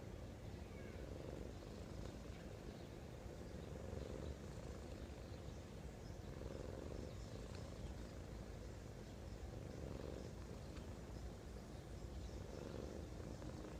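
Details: A cat asleep, recorded close up, snores: soft low rumbling bursts come roughly every three seconds, one breath after another, over a constant hiss of background noise.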